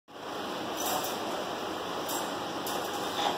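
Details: Steady broadband rushing noise, like running water or distant traffic, fills the whole stretch.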